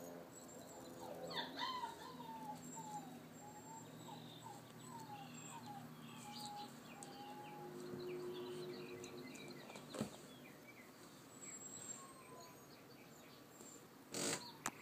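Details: A mahogany-coated female Alaskan Malamute puppy whimpers in a string of thin, high, wavering whines. Alaskan Malamute.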